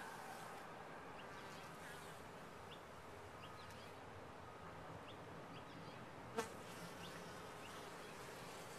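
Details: Colony of honey bees in a top-bar hive producing an even, unbroken droning buzz, with a single sharp click or tap standing out near the end of the steady hum.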